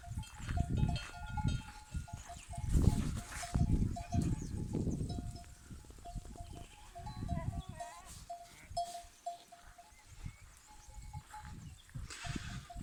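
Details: Older male goats in rut: deep, rumbling grunts repeated in heavy bursts, strongest in the first five seconds and then softer, with a faint cowbell tinkling throughout.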